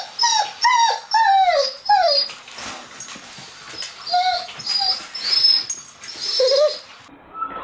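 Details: Doberman named Sirius whining indoors: a run of clear, high, falling whines repeated about every half second at the start, then breathier whimpers and a few shorter tonal cries toward the end.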